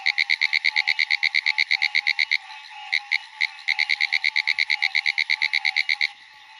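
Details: At night by ponds, a pine woods tree frog gives a fast, rattling train of sharp clicks, broken by short pauses.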